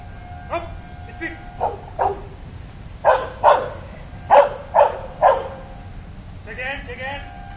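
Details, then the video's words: Labrador Retriever during police dog training barks in a rapid run of sharp yaps, about seven in a row, with a steady tone and faint voices in the background. "labrador dog training"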